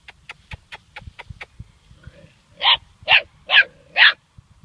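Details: German Shorthaired Pointer puppy, seven weeks old, facing its first dead bird: a row of faint quick ticks, then four loud, high, strained barks about half a second apart.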